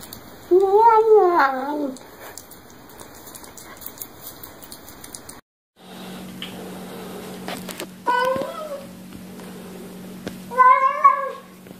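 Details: Domestic cats and kittens meowing while eating, a sound likened to saying yum yum yum: a wavering, drawn-out meow, then two shorter rising-falling meows after a cut, with a steady low hum indoors.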